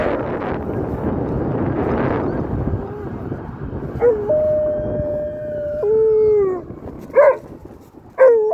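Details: Alaskan Malamute howling at a passing ambulance on a noon walk, after a noisy start a long steady tonal howl holds level for nearly two seconds, then a falling note and short rising yelps close it.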